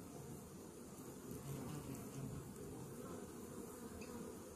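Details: Honey bee colony treated that morning against Varroa destructor mites, heard as a thick, steady low hum that swells slightly midway, with faint knocks.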